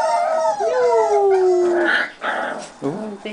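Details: Buff American Cocker Spaniel puppy lets out a long, falling howl-like whine lasting over a second, followed by brief squeaks and a short human voice.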